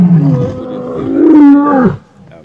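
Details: Lion giving a single moaning, harmonic roar that holds steady, swells in the middle, then slides down in pitch before cutting off after about two seconds.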